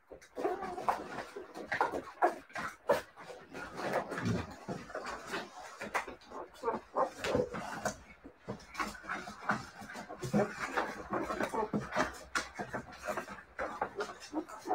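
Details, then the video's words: Siberian Husky puppies whimpering and yelping in short, high, wavering cries that rise and fall, with frequent clicks, bumps and rustling throughout and a faint voice in the background. "siberian husky puppies"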